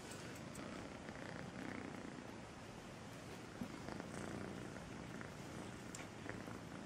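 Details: Melissa, a sweet kitten, purrs steadily: a soft, continuous low rumble throughout, with faint rustling.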